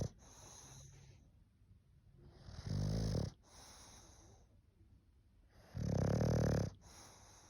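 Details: Snoring English bulldog with two loud, gravelly low snores at about three and six seconds, each lasting under a second, separated by soft wheezy breaths with a faint hissing whistle.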